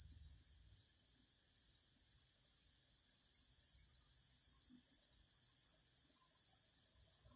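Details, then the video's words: Singing cicadas fill the recording with a steady, unbroken high-pitched buzz that holds at the same level throughout, with only a faint low rumble beneath. "Singing cicadas."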